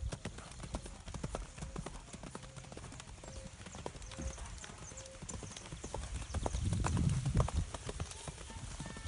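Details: Mangalarga horse, offered for sale, walking with rapid, irregular hoof clops, about three per second, over a low rumble. Short, steady whistled tones repeat faintly in the background, and the clops grow louder near the end.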